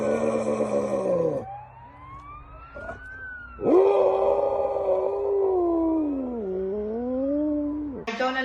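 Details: A pet dog making strange noises: a long, wavering howl-like whine that slides upward, holds, dips and rises again over several seconds, with brief breaks in the voice.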